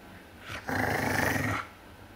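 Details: A bigger dog growls while guarding its bone from a smaller dog that wants it: one rough, rumbling growl lasting about a second, preceded by a brief softer breath, in a quiet indoor setting.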